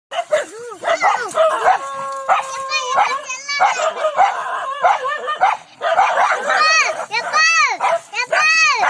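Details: Angry village dogs in India barking during a fight: rapid overlapping arched barks and yelps, with harsh growling bursts and higher strained cries, dense and continuous throughout.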